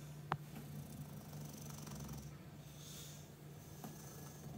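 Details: English Bulldog sleeping on a cushion and chair, a low, buzzy snore droning steadily, with a sharp tap near the start and faint breathy hiss above it indoors.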